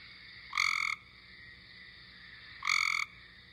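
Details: Recorded call of a Cope's gray tree frog, the main way to separate it from the look-alike eastern gray tree frog; two short raspy buzzing trills about two seconds apart, each a brief loud burst over quiet hiss.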